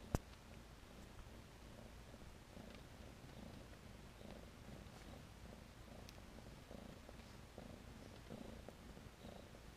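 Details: Soft, rhythmic purring from long-haired, satin, rexed Tennessee Rex kittens born in April 2015; even low throbs repeat roughly every half second after a brief sharp click at the start.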